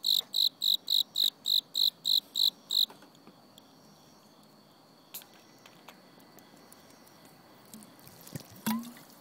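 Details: Cricket calling in autumn: nine quick, evenly spaced high chirps, then the song stops abruptly, leaving quiet with occasional knocks and rustling sounds.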